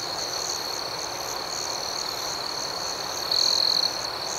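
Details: A nighttime cricket chorus hums as an even, high, pulsing trill, with one louder chirping burst close to the end.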